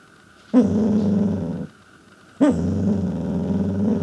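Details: Pembroke Welsh Corgi trying to get its owners' attention indoors: two long low grumbling growls, each opening with a sharp yip and lasting over a second, a short quiet gap between.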